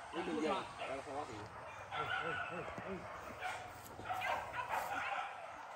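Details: Max, a hunting dog in its first training at a PORBI hunt gathering at Sungai Pingai, barks in quick, overlapping bursts alongside other dogs, with people talking throughout.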